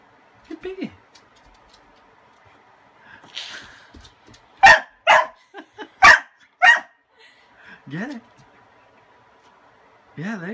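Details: Kasa, a pet dog afraid of a broom, barks frantically because his toy lies under it: loud sharp barks in a burst around the middle, plus whiny rising-falling yelps and whimpers before and after, with a person speaking faintly.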